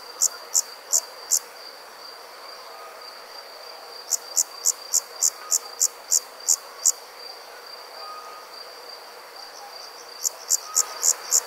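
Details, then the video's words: Crickets chirping at night: bursts of sharp, high pulses at about three per second, separated by pauses, over a steady high-pitched insect trill and soft background hiss. "Cricket Sounds - Crickets Chirping at Night"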